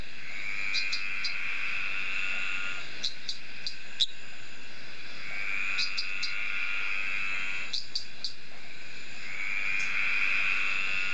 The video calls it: Litoria fallax male Tree Frog courtship calling